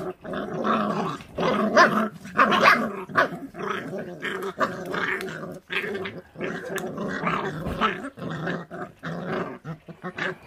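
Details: Feral dog puppy growling over its food, harsh gargling snarls pulsing roughly once a second in uneven bursts for about ten seconds, louder peaks early on.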